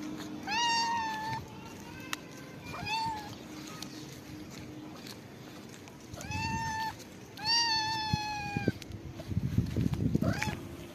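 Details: Homeless cat being given a head massage meows four times, each call rising then falling, spaced a few seconds apart, with soft rustling and handling noise between them.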